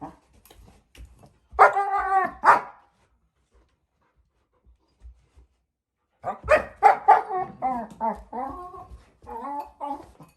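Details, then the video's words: Female German Shepherd puppy, four months old, playing with her bowl: a brief burst of whining yelps, a long quiet gap, then a lively string of warbling whines and grumbles. "German shepherd puppy (Norah) playing with her bowl and making funny noises"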